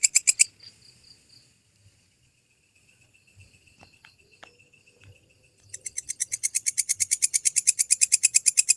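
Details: Walang kecek grasshopper, recorded as a tutor sound for training lovebirds in Indonesia: after a brief opening burst and a quiet stretch with faint tones, a dense train of sharp, high, rasping pulses at roughly six per second.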